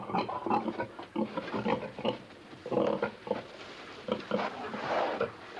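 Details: A pig in a pen gives a steady run of low, rough grunts, each short and snorting, in quick uneven bursts.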